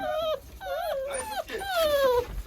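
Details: German Shorthaired Pointer puppies born 15 January 2022, whining indoors: a short falling whine, then a wavering mid-pitched whine, then a long, clear, steadily descending whine stretching over nearly a second, each with bright layered overtones.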